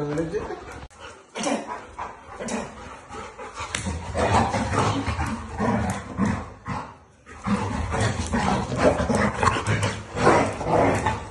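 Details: Labrador Retrievers named Zera, Tom, Foxy and Alabel fighting: rough, irregular barks and growly bursts come roughly twice a second, with a short quiet break near the one-second mark and people talking in the background.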